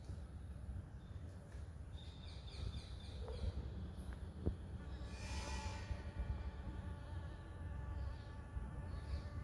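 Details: Blue-banded bee spotted in a front yard: a continuous droning buzz holds steady for the whole stretch, with a few faint higher chirps midway and a deep rumbling background.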